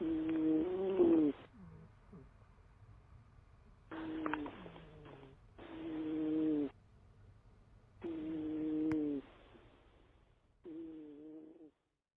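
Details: A large pet cat snoring in five bursts of buzzy, whistling breath sounds. Each lasts about a second, the gaps between them uneven, with low breathing noise in between.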